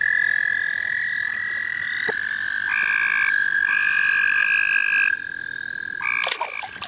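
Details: Frogs in full chorus in the St. Olaf College Natural Lands: a continuous high trill under spaced, blocky buzzy calls of a second or so each, ending in a sharp splash or handling burst.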